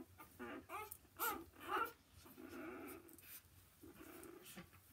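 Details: Newborn Gordon Setter puppies give short, rough whimpers and squeals indoors, a few quick cries close together followed by softer grunting and rustling.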